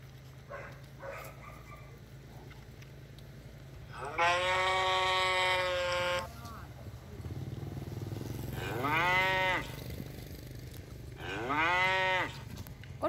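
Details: Cow lowing against a low background hum: one long, level moo about two seconds long, then two shorter moos that rise and fall in pitch, spaced a few seconds apart.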